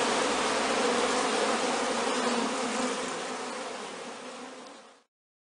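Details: A few hundred young honey bees on their first orientation flight outside the hive, on a warm, clear day between noon and 3 pm, fill the air with a dense, steady hum of wings.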